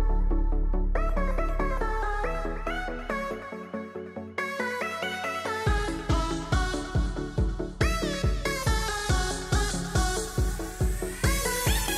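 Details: Electronic dance music with a rising synth build and a steady pounding beat, no animal voice heard.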